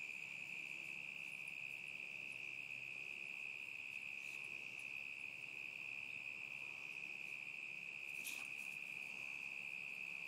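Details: Steady, piercing cricket trill from summer 2010, unchanging in pitch throughout, interrupted only by a short sharp click around eight seconds in.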